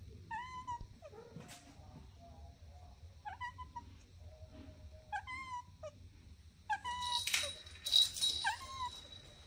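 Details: Kittens at play on the grass utter clear, fairly flat high mews spaced a second or two apart, some paired, followed by a burst of scratchy rustling mixed with more mews near the end.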